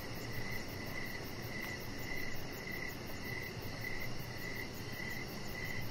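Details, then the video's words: Evening cricket chorus near a deck with decoration lights and a chihuahua puppy; short chirps keep an even pace of nearly two per second, with high rapid pulsing from other insects and a soft low hum. "3 Hours Of Chihuahua Puppy Laying On Deck with Cricket Sounds"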